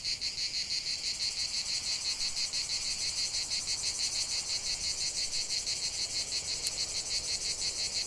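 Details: Cicadas singing in nature: a dense, high, buzzy chorus pulsing steadily about three times per second, unbroken throughout with no other clear sounds.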